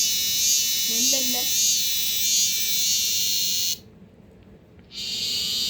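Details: Captured male cicadas singing inside a Korean home in summer: continuous shrill high buzz with regular pulsing, overlaid by a child's voice, then a sudden brief silence before the drone returns.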